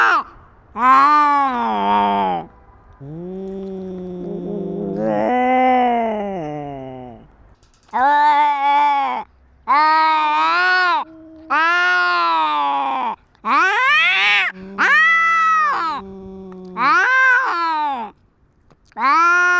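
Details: Cat asserting dominance over territory during a fight, recorded on a GoPro: a long series of moaning yowls, some slow and drawn out, others shorter and rising sharply, coming one after another with brief gaps.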